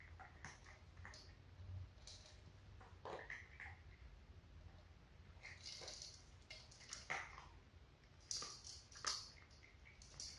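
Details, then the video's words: Kibble being chewed by four cats, an adult sister pair with two kittens, in ASMR style: scattered sharp crunches in clusters, louder toward the end, against a soft continuous background rumble. "Cat food eating sound"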